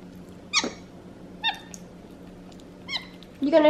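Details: Squeaky chirps from Xander, a pet capuchin eating home-cooked chicken in his high chair indoors, come three times about a second apart, each a thin harmonic squeak. A burst of human speech follows at the end.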